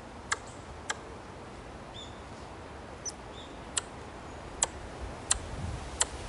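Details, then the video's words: An Ezo squirrel in a green park area gives sharp, tongue-click-like chucks at uneven intervals, about one each second, which the recorder believes is a threat call. "蝦夷リスちゃんの鳴き声"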